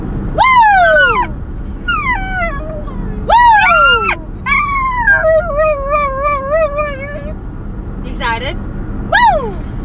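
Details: A female Italian Greyhound, excited about going to Florida, howls in high, sliding yowls, one drawn out into a wavering warble.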